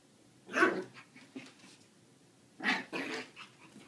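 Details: A Lhasa Apso puppy about two months old gives two short, bright yapping barks about two seconds apart in a bathroom.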